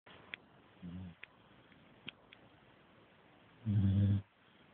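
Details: Staffordshire bull terrier puppy asleep after a hard day of chewing, giving one deep, rumbling low snore near the end after a fainter short breath earlier, in a quiet room with a few small clicks.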